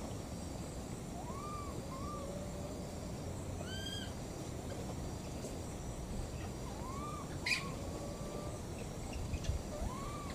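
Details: Two baby monkeys, wild, searching and calling for their mother: repeated short arched whistle-like cries, each rising then falling, with higher faint overtones, spaced irregularly over a steady low rumbling background.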